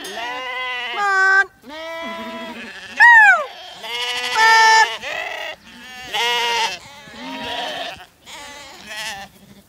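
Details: Zwartbles ewes and lambs gathered on a farm in County Kilkenny, Ireland, on a meltingly hot day, brought in for a buyer's viewing; many overlapping harmonic bleats from several sheep, some wavering, some sharply rising and falling, with a few brief pauses.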